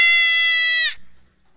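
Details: A sheep giving one high, steady, strongly harmonic bleat lasting just under a second, ending abruptly and followed by near silence.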